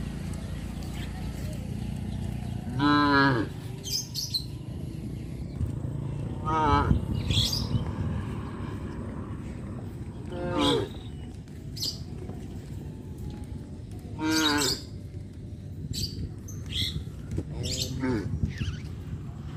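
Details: Cattle on a traditional village farm, passing a road by fish ponds on the way to the grazing fields: several long harmonic moos spaced a few seconds apart over steady low rumble and faint bird chirps.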